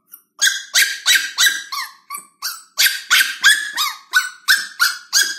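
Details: Young female Lhasa Apso puppy barking on her first day in a new home, kept apart on her own; sharp, shrill yips in a steady run of about three per second, each breaking slightly downward.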